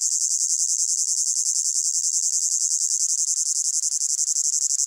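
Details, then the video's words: Hot summer meadow crickets producing a piercing, densely pulsed chirping chorus, fast and slightly irregular beats, steady in loudness, with no other sounds present. "Sound of Crickets in a Hot Meadow"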